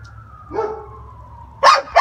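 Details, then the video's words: A male Great Pyrenees puppy that dislikes being left alone gives a thin, slowly falling whine, then two sharp, loud yelps. "Great Pyrenees puppy howl"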